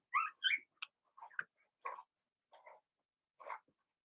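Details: Cavalier King Charles Spaniel puppies, part of a litter of six Blenheim pups kept in a home puppy pen, make scattered thin squeaks and soft whimpers spaced irregularly, with quiet gaps between them.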